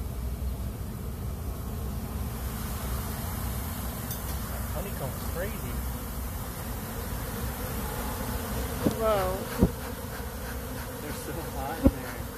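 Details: Swarm of bees bursting out of a box during a rescue, a dense low steady hum filling the whole stretch, with brief voices and a few sharp knocks near the end.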